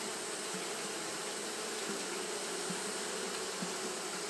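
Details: On a hot day, Japanese honey bees fan nonstop: a steady massed buzz with brief low blips of single bees passing close, roughly every second, over the even drone.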